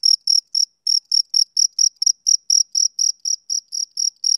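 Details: Rapid chirps of a male cricket at a summer-evening pace: sharp, high pulses close to four per second after a short early gap. The background is silent.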